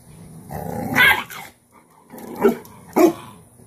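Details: Disciplining her dominant daughter, Cane Corso mother Cashmere pins the puppy down. A rumbling growl rises into a loud bark, followed by two more clipped, harsh bursts a half second apart.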